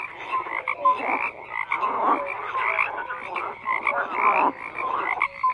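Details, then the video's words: Dense chorus of frogs croaking together, with overlapping rasping pulses and short tonal notes. Loudness rises and falls in waves every second or so. No other sounds stand out. "FROGS CROAKING"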